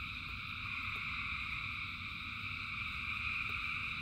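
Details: Massed frog chorus during rain: constant overlapping high trills held at even loudness, with a soft rumble of falling rain beneath and a couple of isolated drip taps.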